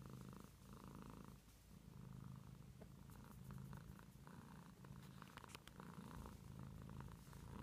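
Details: Purring house cat, a steady low rumble with regular breathing pulses, faint scratchy rustling noises overhead in the second half.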